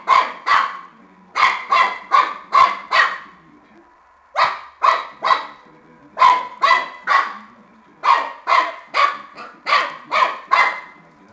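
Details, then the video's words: A Shar Pei puppy at play with a tennis ball lets out rapid runs of short barks, broken by a pause of about a second midway through. "The Cutest Shar-pei puppy playing Tennis"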